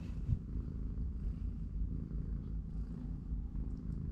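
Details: Short stretch of rhythmic low purring from the cat family: three-week-old kittens at play and rest, mother cat nearby, in a cardboard box. A few soft thumps break the drone.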